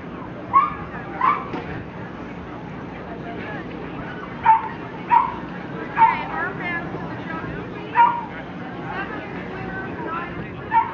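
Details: Lhasa Apso dogs in classes at the Somerset Hills Kennel Club show on Saturday, September 5th, 2009; short sharp barks scattered irregularly, a few in quick pairs, over steady crowd chatter and background hum.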